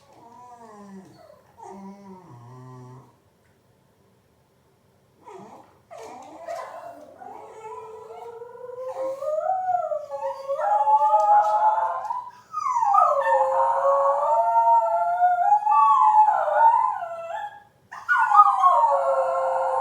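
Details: Shetland Sheepdog, a pet said to always sneeze before howling, starts with a few short low whines, then a brief burst near five seconds, then builds into long wavering howls that slide up and down with rich overtones, pausing briefly before a final rise.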